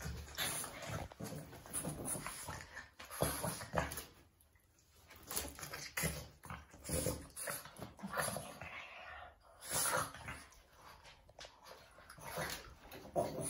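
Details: Two Boston Terriers play-fighting indoors in a small room, a dense run of short broadband growls, snuffles and yips in quick bursts, pausing briefly near four seconds and again around nine seconds, with a steady high electronic whine throughout.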